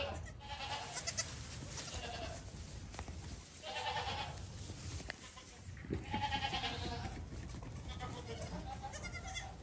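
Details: Baby goat calling with three wavering, nasal bleats spaced a few seconds apart, each about a second long, over a steady background hiss.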